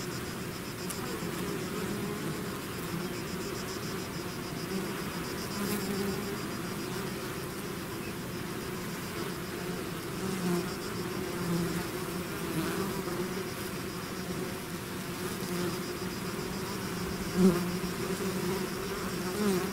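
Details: Steady buzzing of a bee swarm out of its hive, a continuous low hum with wavering tones as bees circle nearby, one brief louder close pass near the end, otherwise calm and uniform.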